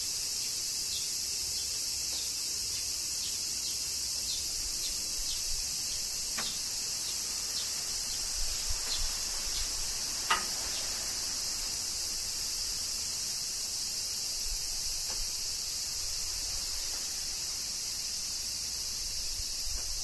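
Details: Summer rain in Kyoto, Japan, with cicadas singing: a continuous shrill hissing drone fills the upper range without pause, broken only by scattered brief clicks like falling drops.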